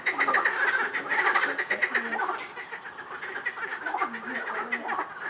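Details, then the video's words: Frogs calling together at Rainham Marshes, a busy mix of quick repeated croaks with occasional lower drawn-out notes standing out from the rattling background chorus. "Frog Chorus"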